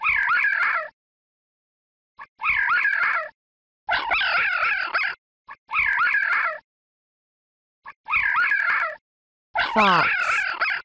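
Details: Fox in a children's carnivorous-animal lesson giving a series of six wavering, whining yelps, each roughly a second long, spaced about every one and a half seconds, followed by a whooshing falling sweep at the end.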